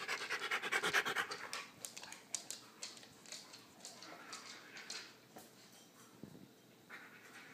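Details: A Siberian Husky photobombing the shot pants hard and rhythmically, with rapid, even huffs about twice a second at the start that soften into looser, quieter breaths later on.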